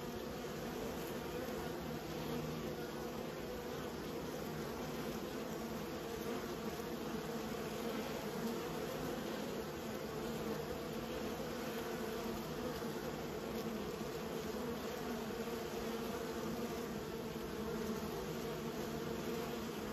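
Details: Honey bees being raised by a keeper: a steady, dense buzzing drone of many bees with a low hum that holds unbroken for twenty seconds. No other clear sounds.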